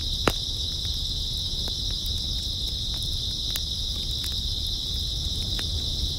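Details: Grass insects on an early autumn night keep up a dense, steady high trill that never pauses, while a campfire crackles and pops sharply underneath with a low rumble.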